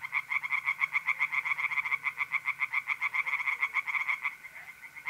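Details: Pond chorus of tree frogs at night in mid-April, north-east Italy: rapid rattling pulses, about three to four per second, overlapping callers, and a faint continuous mole cricket trill near the end.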